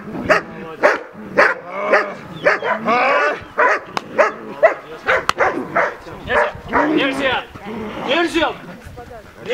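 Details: Ray, a German Shepherd, barks during his first protection-service training run in Belarus. Short, sharp, repeated barks come about twice a second, mixed with a man's loud commands and shouts throughout.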